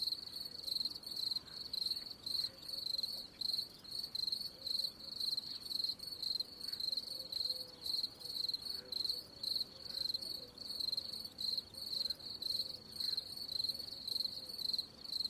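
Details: Continuous cricket chirping, high metallic pulsed bursts repeated about twice a second for the whole stretch, with a light hiss behind.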